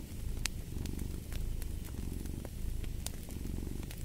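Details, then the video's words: Close, buzzing low purr of a cat with gentle rises and falls, overlaid by bright, irregular pops from a crackling fireplace. "Purring of a Cat"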